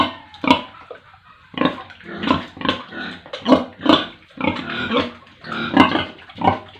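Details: On a pig farm in rural India, pigs and piglets grunt roughly, in bursts spaced about half a second apart, with a brief quiet gap near the start and squealing edges on several calls.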